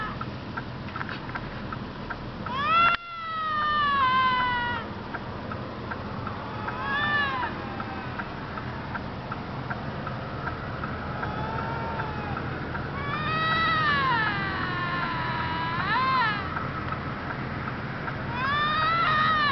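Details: Bobcats fighting: loud, wavering screams that arch up and fall, in bursts of a second or two, with a cluster of overlapping yowls near the middle and more toward the end, over steady background hiss.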